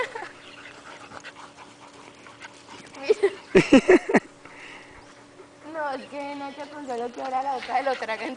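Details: A male Bull Terrier puppy gives a quick burst of high, sharp yips while playing with bigger dogs, followed by people talking and laughing.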